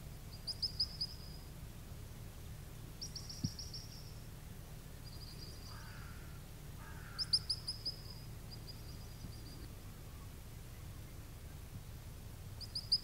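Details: High, clipped whistles from a little ground squirrel at the Beglitskaya Spit come in repeated bursts of several notes throughout, with faint lower calls around the middle and constant low wind noise.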